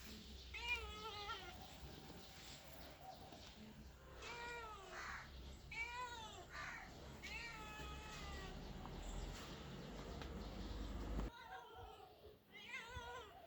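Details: Cats or kittens giving a rapid run of meows, some short and wavering, others longer and arched, overlapping as if from more than one animal, with steady low background noise.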